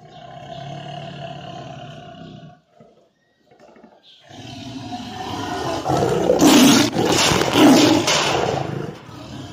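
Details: Tiger calling in low rumbling bursts, a short silent gap, then a louder, harsher roar with strong peaks around six and eight seconds.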